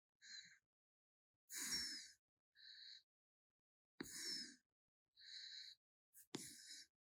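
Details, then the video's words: Sleeping raccoon named Gaetongi snoring: breathy, hissing bursts alternate with lower rasping breaths, a wheezy snore cycle roughly every one and a half seconds, with brief clicks between breaths. "코골이 하는 라쿤"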